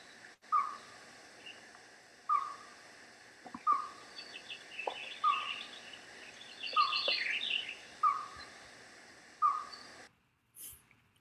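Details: A Merriam's chipmunk, recorded by day in April near the Mount Baden-Powell trailhead in the San Gabriel Mountains, gives steady hollow, owl-like single notes about every 1.5 seconds, often confused with owls; a finch twitters.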